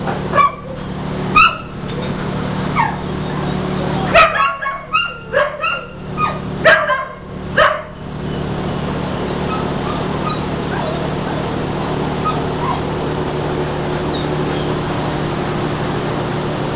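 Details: Blue heeler awaiting adoption, recorded 31 July 2015; rapid runs of yips and barks in the first eight seconds, then only faint distant yelps over a constant droning hum.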